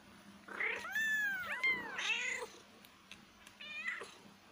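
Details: Kitten meows in a rapid, insistent string, bright and high with rich overtones, several calls tumbling close together, then a short pause before one final mew.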